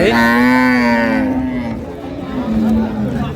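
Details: Improved-breed dairy cows and calves at Ambari livestock market (haat), Dinajpur, Bangladesh, 9 March 2025: a long, steady, tonal moo lasting about a second, then a softer, lower drawn-out call fading over the next two seconds.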